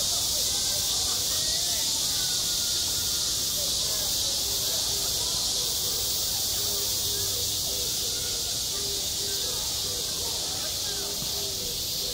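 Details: Midsummer cicadas at a school playground give a steady, piercing buzz throughout. Soft low tonal dashes repeat in the background, more regular in the second half.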